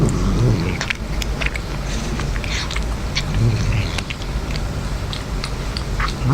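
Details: A male domestic cat (Felis catus) eating wet food gives low, rumbling growls, possessively guarding it when his owner tries to pet him.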